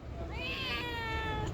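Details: A pet cat replies during a conversation with its owner, giving one clear, drawn-out meow that swells and then holds a level tone for about a second, against a low background rumble.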